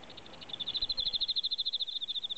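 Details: Pet Emma field crickets in captivity: a steady run of clear, evenly spaced pulses at a high pitch, about eight per second, swelling in loudness after a soft start.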